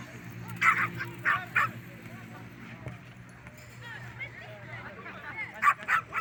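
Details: Poodles, small dogs standing up for themselves and their owner, let out short, shrill barks, three in quick succession at the start and another cluster near the end, with a low hum and faint chatter underneath.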